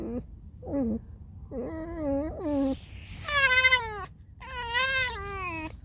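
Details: A tame fox just woken up, making loud harmonic squeaking whines: short nasal yelps building to a long, high, wavering squeal, then another long descending whine, notes about a second apart in a quiet room.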